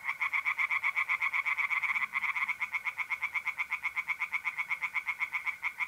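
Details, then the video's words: Unbroken stream of loud, rhythmic rasping pulses, about four per second, from tree frogs singing in a pond by night in mid-April, north-east Italy, with a faint mole cricket trill beneath. "singing tree frogs in pond"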